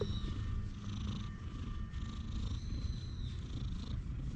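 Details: Stray cat settled on a lap on a park bench while being stroked, filmed with a GoPro HERO8: a low, steady rumbling purr throughout, with thin high chirps of birds in the background.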